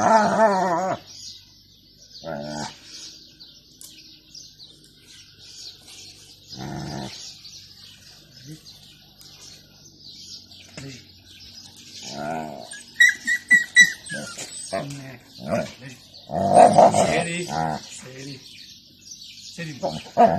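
An Alaskan Malamute makes short, wavering, moaning calls that rise and fall in pitch, coming in separate bursts. The calls express jealousy over a new companion, with some faint music and human voices in the background.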